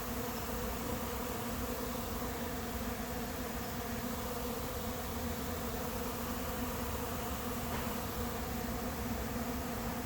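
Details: Honey bee swarm, late season, taking up residence in an empty, unprepared hive on July 8th; loud uniform buzzing drone of the crowd of bees, sustained and even throughout.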